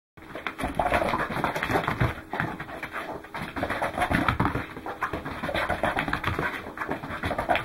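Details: Welsh Corgi named Goro running, recorded 12 December 2010: fast, breathy panting pulses, roughly three or four a second, over constant rustling and thumping movement noise.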